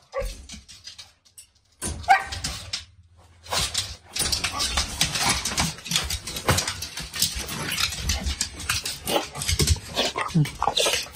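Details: A female Samoyed born December 2021, overjoyed to see her father home after a week away, makes a long, uneven run of throaty, grumbling growls mixed with whines that sound angry. It starts quiet, then is near-continuous. A person's voice is faintly heard.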